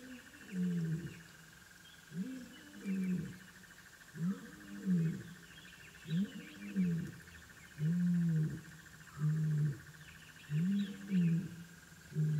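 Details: African wild dog puppies calling at their den: a series of low, harmonic, moaning hoots, each about half a second long, rising slightly then falling, repeated roughly every second, over a steady high insect drone and faint distant chirps.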